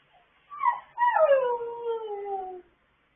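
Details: A pet dog's late-night howl, recorded 26 October 2022: after a brief yelp, a clear, drawn-out tone glides steadily downward over about a second and a half before fading.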